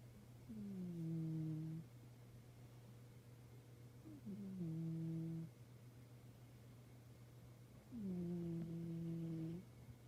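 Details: Sleeping cat named Sadaharu, a bicolor tuxedo-patterned cat, snoring indoors: three slow, droning snores with a falling tone at the start, each lasting over a second, spaced about every three to four seconds over a low steady hum.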